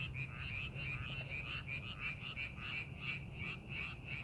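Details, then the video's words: Frogs calling from rice paddies being prepared for farming, amid scenic countryside: a dense chorus of rapid, rattling croaks in a steady mid-high band, about three pulses a second, over a constant low rumble. "논에서 개구리 울음소리"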